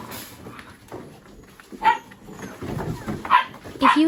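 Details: Mini Goldendoodle puppies at play with boxes, chasing and rolling together; a few sharp, high yips ring out in quick succession amid scuffling and a faint voice, over a constant hum.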